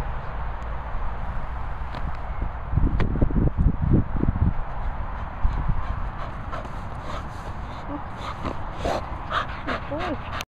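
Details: Working Cocker Spaniel named Ozzy, a dog giving a short cluster of quick yelps and whimpers near the middle, then thin wavering whines toward the end, over steady low rumbling background noise.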